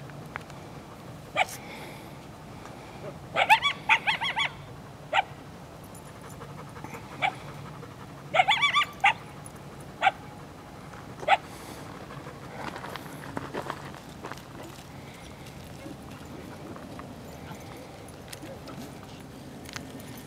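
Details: Near a likely den, two coyotes from a pack of five or six yip and howl at people to lead them off, taped on a handheld camera. Short clustered yelps and wavering yips come in brief bursts, then fade into quiet noise.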